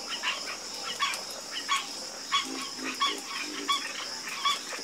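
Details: Night frog chorus with croaks arriving roughly every two-thirds of a second, bright rasping pulses answered by lower, softer grunts, all above a constant high-pitched drone.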